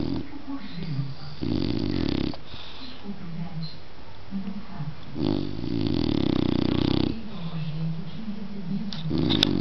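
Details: Snoring dog in a small room: broad, raspy snores of one to two seconds come roughly every four seconds, with low wavering voice-like murmurs between them.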